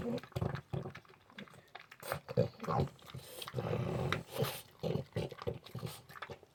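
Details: French Bulldog, just back from a two-hour dog park session, making the noise its owner wakes up to every morning: rough, pig-like snorts and grunts in rapid irregular bursts, with noisy breathing between them indoors.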